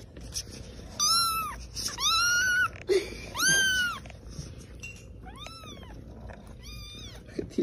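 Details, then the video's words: Kittens meowing: about five loud, high, arched meows, some drawn out and some short, coming in quick succession over a low background hum. "the kittens saying meow are so cute"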